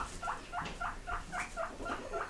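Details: Pet pigs living indoors answer a repeated offer of grass with a run of eight sharp squeaks, about three per second. Each is a short, sliding note above a quiet room hum.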